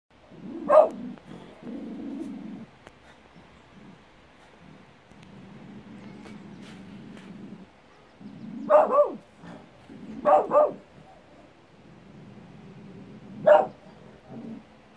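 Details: Domestic dog barking at its own echo: four loud, sharp barks spread across the stretch, two of them doubled, separated by long quiet gaps filled with low rumbling background noise.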